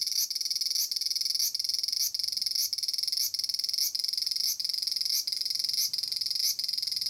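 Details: Large brown cicada (Aburazemi, Graptopsaltria nigrofuscata) in Japan, calling from a persimmon tree: a harsh, continuous sizzling buzz, high and dense, with brief stronger pulses roughly every two-thirds of a second, steady throughout.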